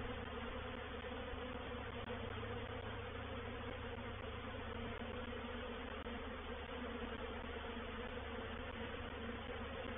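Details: Reproductive honey bee swarm occupying a bait hive at Painted Peacock Manor, 04/07/21. An unbroken, even drone of many buzzing bees runs throughout, with a faint low rumble beneath.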